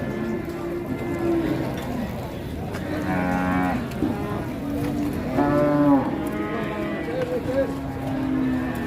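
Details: Cattle at the busy early-morning Ngawi cattle market in Indonesia: several drawn-out lowing moos, some rising and wavering, overlapping with crowd murmur and market bustle.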